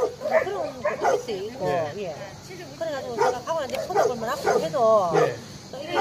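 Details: Rescued stray dogs at Hanna's shelter in Daegu bark and yip over one another, a steady clamor of short harmonic barks, some wavering and whining, with human voices mixed in.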